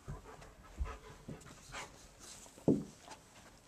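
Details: German Shepherd pet dog panting while taking commands from its owner: soft breathy puffs about every half second, with one sharper, louder huff near the end; quiet spoken commands around it.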